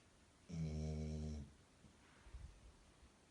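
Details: Golden Retriever named Milo, seven months old, snoring while fast asleep with a stuffed toy dog as a pillow; one low, rumbling snore of about a second, then quiet room with faint soft noises.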